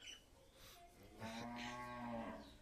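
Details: Two-day-old male Sahiwal calf on a farm in Gangni, Meherpur, Bangladesh, bred from 100% Sahiwal semen, giving a drawn-out, steady, nasal moo of over a second that begins partway through, after faint chirps.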